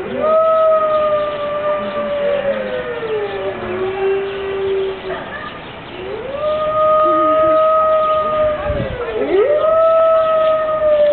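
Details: Chorus of five Siberian wolves at Berlin Zoo on a rainy morning: long, steady, sustained howls from at least two voices, one pitched well above the other, with a brief lull midway before sliding howls resume.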